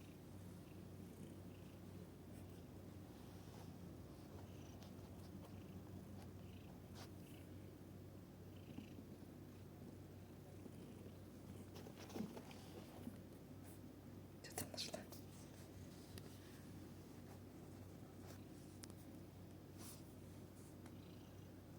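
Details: Scottish Fold cat purring, recorded 12.09.2023: a steady, low rumbling purr runs through the whole recording, with a few faint clicks and soft bumps midway.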